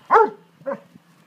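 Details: Dobermann at play in a garden with two others named Dolce, Gabbana and Zeus: one sharp, harmonic yelping bark followed by a softer, shorter second bark a half-second later.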